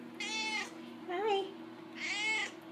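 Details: Pet cat, a female born in 1999, talking to her owner indoors: two clear, harmonic meows about 1.5 seconds apart, with a softer, lower rising-falling mew between them, over a steady low hum.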